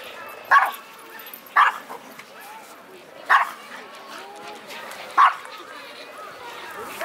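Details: A bad-tempered small Pomeranian-Pekingese mix dog, barking at everything on arrival at the busy Yoyogi Park dog run on a Sunday, gives sharp, high yapping barks spaced one to two seconds apart.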